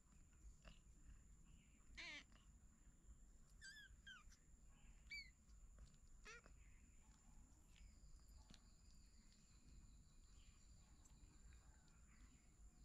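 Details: A litter of three kittens with their mother cat, found in a house's paddy storeroom, gives thin, high-pitched mews, short and scattered, over a steady electrical hum.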